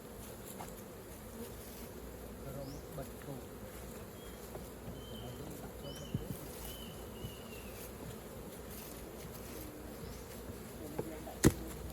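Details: Honey bee colony buzzing as honey is taken straight from the hive: a deep, constant hum, thin whistled tones drifting above midway, and a sharp knock near the end.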